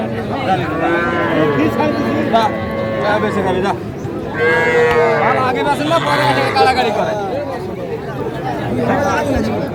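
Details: Young bull and heifer calves at a livestock market in Comilla, Bangladesh, on 11 January 2025, where a farmer is buying the smallest calves. Drawn-out harmonic moos rise and fall twice amid steady crowd chatter and haggling voices.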